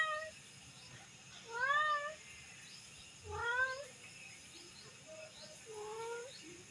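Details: A kitten gives a series of thin, wavering meows, three louder ones about every one and a half to two seconds, then a softer, lower mew near the end, over a faint steady background hiss.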